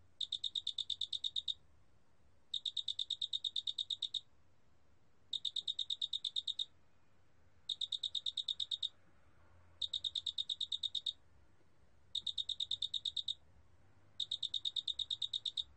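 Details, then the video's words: Big mottled cricket (큰알락귀뚜라미), recorded in Korea in 2020: high, ringing chirp trains of about a dozen rapid, even pulses. Each train lasts about 1.5 seconds and repeats every 2 to 2.5 seconds over a faint low hum. "큰알락귀뚜라미, 1번 듣기, 곤충소리"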